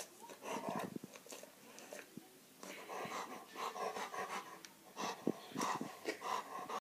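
A Rottweiler huffs, snorts and wheezes in rough, irregular bursts at close range indoors.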